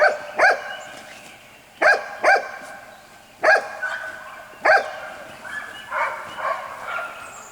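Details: Jelly and Gabe's white Golden Retriever puppies, aged six weeks, yap in short doubled barks roughly every one and a half seconds, then trail off into softer whiny yelps.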